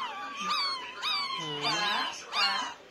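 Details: Whining from nine-day-old Pomeranian puppies, long wavering high cries bending up and down, one lower drawn-out moan in the middle, three main whines in under three seconds, faint music behind.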